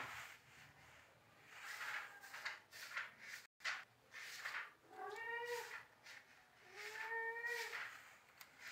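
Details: Rescued kittens indoors, two clear rising-then-falling meows about two seconds apart, each with bright stacked overtones, after softer faint mewing and a brief cut to silence.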